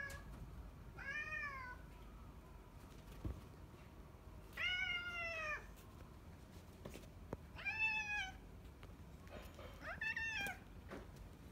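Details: Four separate wavering meows spaced a few seconds apart from the retired neighbourhood boss cat Yongo (Kuro), under home end-of-life care, in a quiet indoor setting with occasional clicks.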